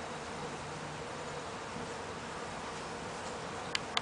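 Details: On a front porch, feeding bees keep up a constant low humming drone within a wash of hissing noise, and two sharp ticks close the recording.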